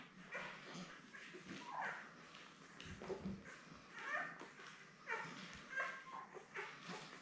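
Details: Newborn Labrador Retriever puppies, a litter of seven born May 24, 2021, with their mother Belle on an indoor puppy cam. Soft squeaky whimpers and little yips come in short bursts, some rising and falling, over a quiet room hiss.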